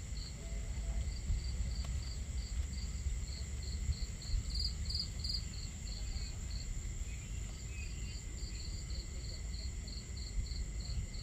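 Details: Crickets on a starry night at a campsite, short even chirps repeating about twice a second over a steady high whine, beneath a strong low rumble of water and crackling fire.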